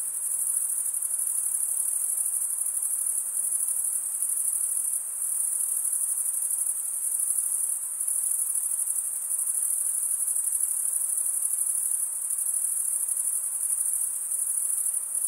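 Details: Crickets, mostly males stridulating, fill the air with a dense, steady high-pitched trill that barely changes in loudness for fifteen seconds, with slight pulsing swells and no other sounds.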